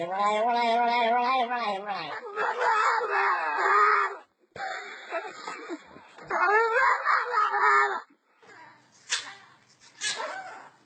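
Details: Pet dog making unusual pig-like noises: a long, wavering, high whine that breaks into harsh squeals. A pause follows, then more squealing and a few sharp, faint bursts at the end.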